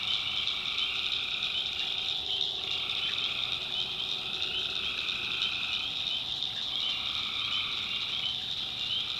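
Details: Tree frogs calling at night in a swamp in the backwoods of North Carolina: a dense, unbroken chorus of high shrill trilling over a lower steady droning layer that dips and returns every few seconds.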